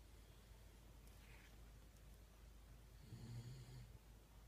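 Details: Shiba Inu named Yun (遊雲) asleep, snoring loudly, recorded 1 December 2016; a single low, rasping, droning snore rises late in the stretch after quiet breathing in a small indoor room.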